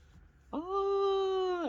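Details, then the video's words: British Shorthair cat poked while being woken, answering with a single sustained, steady meow of about a second and a quarter after a sudden onset, slightly falling at the end; a woman talks to it before and after. "poke the cat"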